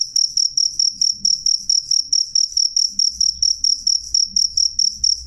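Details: Cricket calling loud and clear, a rapid train of bright high-pitched pulses grouped into short chirps, about two to three chirps per second, steady throughout with only faint low rumble beneath.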